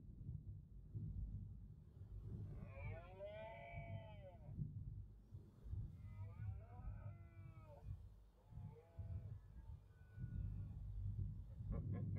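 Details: Red deer stags roaring during the autumn rut in the Cantabrian Mountains, Spain, 2023: long moaning bellows rich in rising and falling harmonics.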